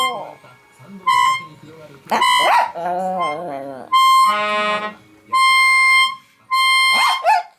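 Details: A pet dog howls along with music, its voice rising and wobbling in long, sliding notes, between sustained harmonica tones and the singing voice of the owner's grandson.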